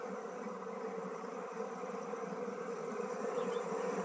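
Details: Honey bees shifted from a traditional log hive into a modern hive, giving a constant low, grainy buzzing from many insects that stays level for the full few seconds.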